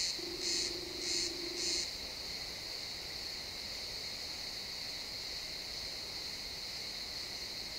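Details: Pine forest crickets at sunset, in XY stereo: three loud chirps in the first two seconds, alongside a brief low steady tone, then only a constant high, shrill insect buzz carrying on.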